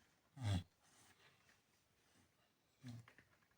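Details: A sleeping Chow Chow dog snoring: two short, low, rumbling snorts roughly two and a half seconds apart, with near silence between them.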